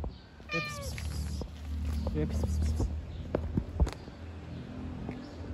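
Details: White kitten that loves to play gives one short, falling meow near the start, followed by a man speaking Turkish over a steady low hum and scattered clicks.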